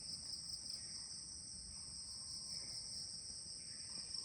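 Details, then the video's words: Crickets calling all around at 10 in the morning at a guest house in Kulaura, Moulvibazar: a steady, unbroken high-pitched shrill trill in two bands, with faint soft background noise. "চারদিকে শুধু ঝিঝি পোকা ডাকছে, কিন্তু এখন সকাল 10টা।"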